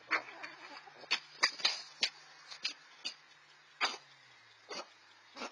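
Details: Two red fox siblings, 4-5 months old and newly independent, fighting over food; harsh broadband chattering bursts and coughing yelps, about a dozen sharp calls spread unevenly over five seconds.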